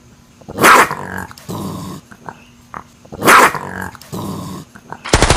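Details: Male raccoon growling: two loud, harsh, noisy snarls about two and a half seconds apart, each followed by softer rasping growls and brief grunts, with a sharp burst of noise at the very end.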